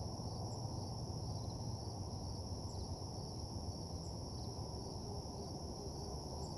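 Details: Crickets chirping at night around a desolate parking lot, an even, ringing trill with faint brief pulses above it, set against a steady deep rumble of ambient noise.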